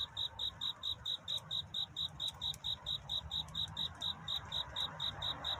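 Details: Cricket singing at night to find a mate, a love song of a courtship night toward dawn: crisp high chirps repeated evenly, roughly three to four per second, over a low rumbling background hum.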